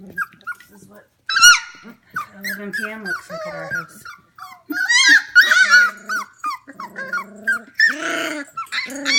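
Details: F1 Goldendoodle puppies, 25 days old, indoors at home at 11 pm, giving many short, high squeaky whines and yelps, some rising then falling, in quick irregular bursts, mixed with a person talking nearby.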